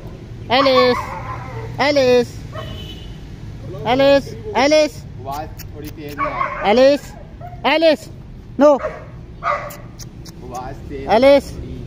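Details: Household dogs, a German Shepherd and a Boxer, barking repeatedly: about ten sharp, arched, tonal barks spaced one to two seconds apart over a quiet background.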